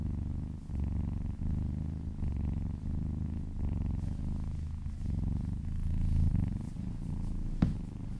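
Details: Kitten purring contentedly while being massaged and licking a person's arm indoors: a steady low rumbling purr pulsing continuously in long breathing cycles, with a brief soft click near the end.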